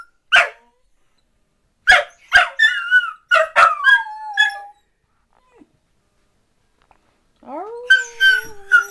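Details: Dachshunds 'singing': a few isolated sharp barks, then a burst of yips trailing into a falling howl, a long quiet gap, and a low rising wavering howl joined by higher yips at the end.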